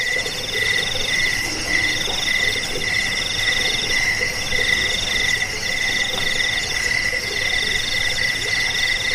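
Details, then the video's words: Crickets, recorded as a track meant to repel rats, help people sleep and train songbirds. Several steady, ringing trills overlap in a dense, continuous chorus, with faint lower chirping from other callers beneath. "Suara jangkik pengusir tikus pengantar tidur"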